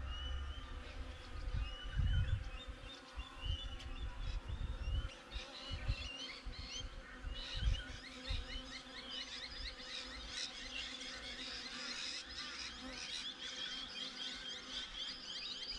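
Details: Honey bees at the hive, caught on a GoPro set up outside it: a continuous droning buzz with low thumps in the first seconds, while small birds chatter and chirp throughout.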